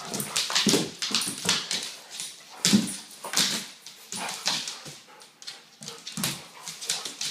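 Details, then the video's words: Indoors, a Weimaraner dog plays with her 10-month-old son from her 2012 litter; low grumbling vocal bursts mixed with sharp scuffles and rustling, pulsing irregularly. "Weimaraner Mom Playing with her Pup"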